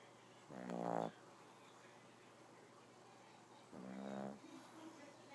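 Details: A sleeping cat snoring: two short, rasping, pulsed snores, each about half a second long and roughly three seconds apart, in an otherwise quiet room.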